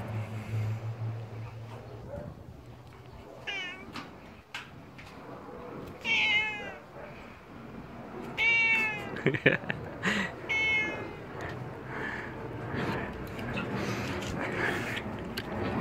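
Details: Pet cat, a little tiger cat, made angry while being played with, gives several short rising-falling meows in bursts around six, eight and ten seconds, with rustling and handling noises between calls.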